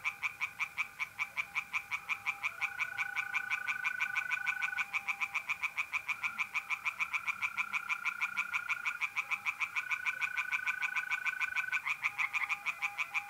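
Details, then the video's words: Pond chorus of tree frogs by night in mid-April, North-East Italy. A fast, unbroken stream of sharp croaking pulses runs the whole time, layered over the steady, pure-toned trills of mole crickets. "relaxing singing tree frogs in pond"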